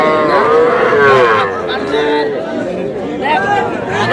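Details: Small calves, young bulls and heifers, at a cattle market in Madaripur, Bangladesh, on 18 April: a drawn-out, wavering moo rises above dense crowd chatter and bargaining voices.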